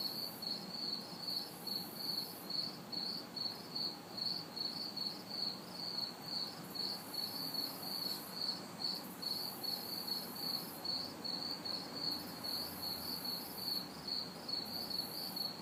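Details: Summer night orchestra of crickets and cicadas in a city backyard, hot and humid: a steady train of high chirps about twice a second, intermittent higher buzzing bursts, distant traffic murmuring beneath.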